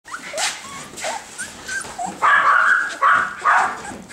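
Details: Bernese Mountain Dog puppies, a brother and sister: a few thin high squeaky yelps, then three louder, harsher barking bursts near the end.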